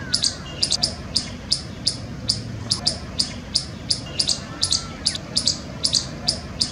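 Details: An Indian palm squirrel chirping on a palm tree in Jammu gives sharp, high chip notes, repeated about twice a second in a steady series.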